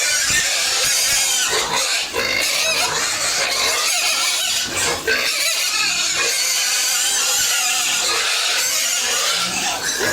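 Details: Pigs and piglets on a home farm being fed, a constant loud, harsh mass of squeals and grunts with no pauses, many animals calling at once.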